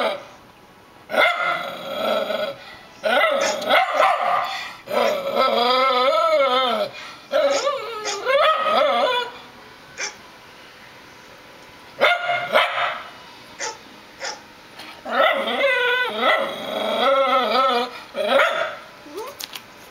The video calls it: Crazy Rat Terrier Barking at Dog on Computer Monitor TV